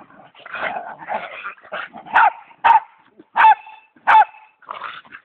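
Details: A Westie and a pitbull play-fighting indoors after a Thanksgiving meal: rough, throaty growls and snarling yaps come in quick uneven bursts, several sharper bark-like outbursts standing out near the end.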